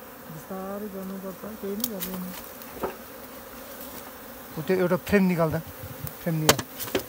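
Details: Wild honey bees swarming as they are caught barehanded in a Nepal jungle. Bees pass close in repeated bursts of warbling buzz over a constant drone, with sharp taps and knocks between.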